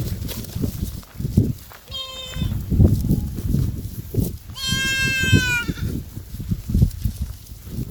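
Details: Big goat bleats twice, a short nasal call followed by a longer, louder quavering bleat that trails off, over steady low rumbling noise.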